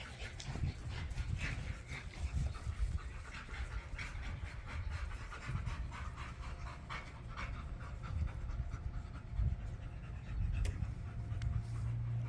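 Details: Pit Bull puppy named Gohan playing with his new pack at a private dog park; quick, breathy, low panting continues throughout, mixed with scuffling, clicks and rustling of play.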